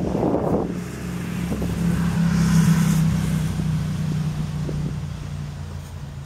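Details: Swarming honey bees gathered in a tree near a house in Newcastle, Ontario, a low droning hum that swells in the middle as one bee seems to pass close, after a brief rustling burst at the start.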